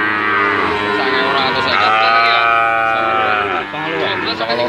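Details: Several Brahman and Limousin calves mooing, a dense chorus of sustained, nasal, slightly wavering moos layered over one another, one long level call in the middle, continuous calling with no quiet gaps.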